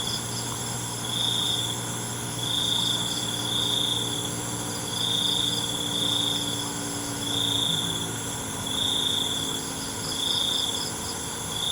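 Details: Crickets at night: a high, thin trilling chirp sounds in short bursts about every second and a quarter, over a constant shrill insect hum and a low background drone.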